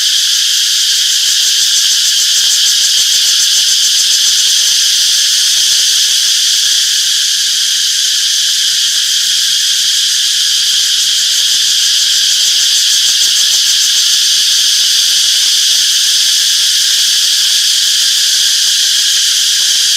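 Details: A loud chorus of cicadas in a summer forest fills the air with a continuous, high-pitched shimmering buzz that pulses slightly but holds steady, with no other clear sounds above it.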